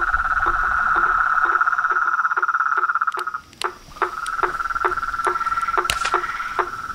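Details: Toads, frogs and treefrogs at a pond near a porch at nightfall: a steady trilling chorus that briefly falls silent midway, then resumes, with repeated short dropping notes and a few sharp clicks throughout.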